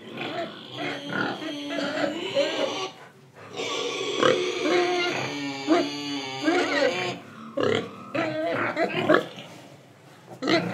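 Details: Indonesian pig squealing: drawn-out, wavering high squeals with rich overtones fill the first seven seconds, a brief pause near three seconds, followed by choppy grunts and snorts; some background noise throughout.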